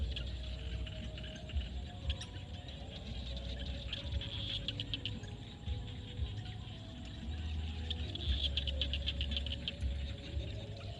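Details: Frogs in a field at sunset in Cambodia, recorded naturally: a dense, ongoing chorus of short clicking pulses, about two per second, rising and falling in strength over a constant low rumble.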